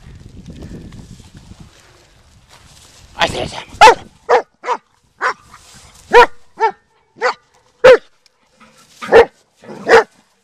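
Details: Black German Shepherd dog during a search-and-destroy walk, with a man's voice first, then about ten short, forceful barks spaced roughly half a second to a second apart, ending abruptly.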